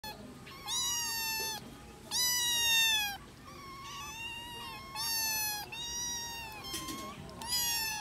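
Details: Kittens playing together and missing their mother cat give a run of high, strongly harmonic meows, about seven in eight seconds, each held and fairly level or gently falling, several overlapping, over a faint background hiss.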